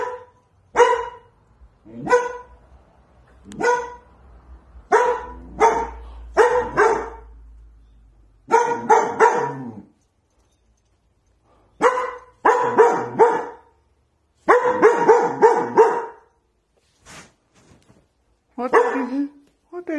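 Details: Scared dog in protective mode, barking at something in a kitchen corner the day after another household dog died, never having barked before; sharp, harmonic barks come singly and in rapid runs with short silent pauses between bursts.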